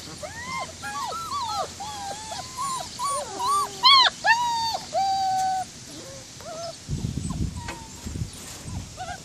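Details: Several White German Shepherd puppies at Cedarday Springs Farm crying in curved, whistly whines and short yips, dense at first, then a few isolated whimpers alongside low rumbling handling noise near the end.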